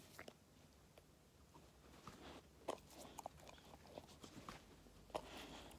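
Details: Labrador Retriever puppy, five months old, eating treats: quiet scattered crunches and sharp bite clicks roughly every second or two against faint room hum.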